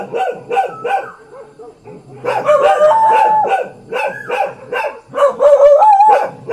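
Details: Thai household dog letting out a run of quick barks, then a strained, whining howl mixed with yelping barks, closing with further rapid barking and a high wavering whine.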